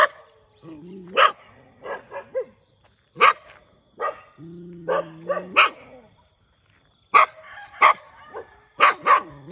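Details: Morning barking from a dog: short, sharp, punchy barks in uneven bursts, mixed with a couple of low, steady, droning growl-like tones, quiet gaps in between.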